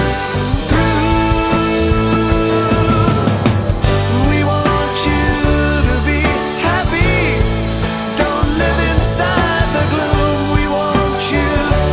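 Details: Loud rock music with singing and dense instruments fills the whole recording, with no animal sound.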